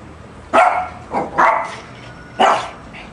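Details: Lhasa Apso barking at a shark, four quick, clipped, high barks at uneven intervals, the second softer, each dying away fast in an indoor setting.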